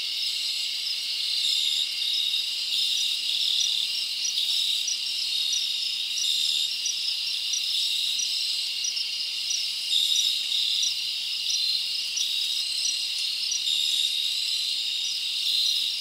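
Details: Crickets chirping at night in a summer forest: a dense, steady high-pitched trill from many insects, continuous and even throughout, with no other clear sounds.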